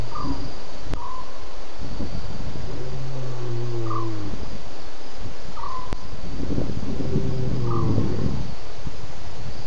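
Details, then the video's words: At least two lions roar after drinking at Djuma waterhole at 01:30 a.m. on 11 November 2016. Two bouts of deep, low, moaning grunts come about three seconds apart, with short high chirps recurring over a steady background hiss. "at last 2 Lions roaring after his drink"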